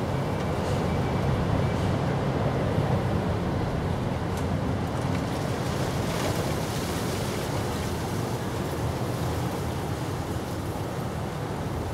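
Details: Loud, continuous wind-like roar and rumble fills the whole stretch with a faint steady tone above, with no animal sound heard.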